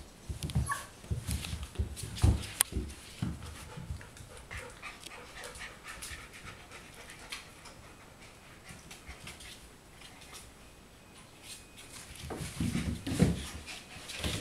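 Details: Four-week-old golden retriever puppies panting indoors: soft, quick breathy pulses in uneven bursts, louder near the start and again toward the end, with faint whimpers and light handling noise between.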